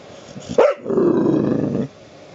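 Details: A pet dog that wants to be petted gives a short yip, then a low sustained growl of about one second.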